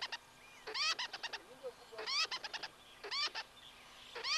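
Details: Tree squirrel in the Greater Kruger area of South Africa, alarming and chattering: bursts of harsh, rapid clicking chatter every second or so, interspersed with short sharp notes against a quiet background.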